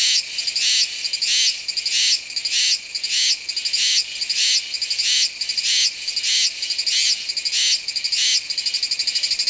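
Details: Song of Meimuna iwasakii, a Taiwanese cicada, recorded in September at Nanzhuang using a Sony A7s3 with a Rode VideoMic NTG: a rhythmic series of harsh, high-pitched buzzy pulses, roughly three every two seconds, loud and continuous.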